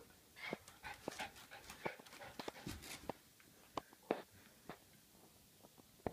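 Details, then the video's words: Dog with an itch making funny noises, heard as short breathy pants and soft snuffling bursts with faint whimpers, irregular over six seconds, indoors. "Dog makes funny noise and has itch"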